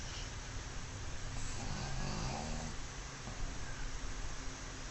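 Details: Mozuku, a black pug recently brought home, snores while sprawled in an unguarded sleeping pose; a low rasping snore swells near the middle over a steady hiss of background noise.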